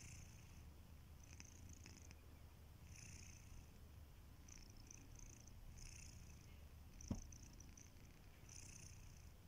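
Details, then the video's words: Kitiboy, a domestic cat, asleep and snoring softly: gentle breathy hisses repeat about every one and a half seconds over a constant low purring rumble, with one brief sharp click partway through. "Kittyboy: The snoring cat"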